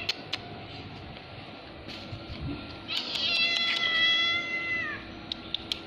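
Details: Domestic cat, orange, white and brown, meowing: one long drawn-out meow with stacked harmonics lasting about two seconds, slightly falling at the end, with faint clicks and low room noise around it.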